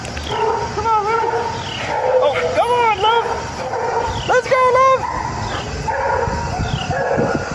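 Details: Six-month-old female chocolate Labrador puppy, friendly and excitable, at the start of her first training session while practising a loose-leash walk. High arching whines and yelps come in short bursts, with a man's voice talking and coaxing over them.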